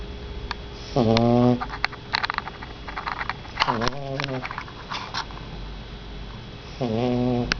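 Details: A 49-day-old Shar Pei puppy, said to snore often and sometimes even while awake, snoring indoors: three low, buzzy, harmonic breaths about half a second long, roughly three seconds apart, over steady room hiss with faint clicks.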